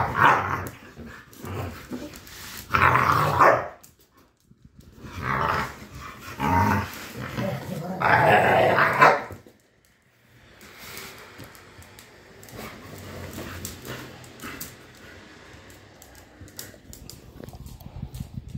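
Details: Pit bulls in a fight: loud harsh growling and barking in long bursts separated by short silences, then quieter scuffling and panting-like noise.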